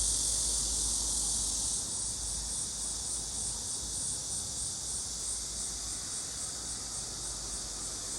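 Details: Cicadas calling in a summer forest on a low mountain not far from a road: a dense, continuous high buzzing drone with a faint steady pulse that barely changes over eight seconds, over a soft low rumble.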